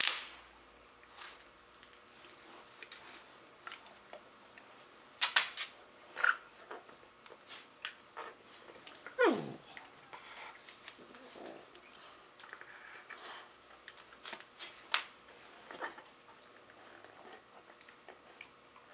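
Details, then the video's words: Labradors playing with a Rottweiler puppy: one whining cry sliding steeply downward from high to low, amid scattered scuffling clicks, soft snorts and thumps of rough play. "Check out the funny noises the Labradors making while playing with our Rottie puppy!"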